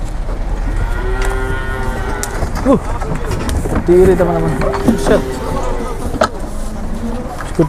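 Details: Cattle arriving on two trucks, one carrying a jumbo animal, in Indonesia; a long, drawn-out harmonic moo followed by shorter lowing calls, over engine rumble, people talking and passing vehicles.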